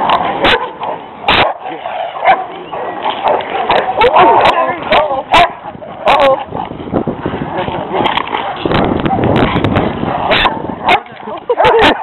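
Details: Dogs fighting on a walk: a leashed pet Rottweiler is set upon by two stray aggressive dogs. Sharp barks burst out in an irregular, overlapping chain, mixed with snarling and yelps, while people shout over the commotion.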